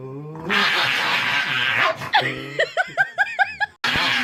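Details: Pet dog tickled by its owner at home, giving a long harsh breathy rasp, then a rapid run of about seven short, arched, whining yips in a rhythmic burst, ending in another noisy rasp.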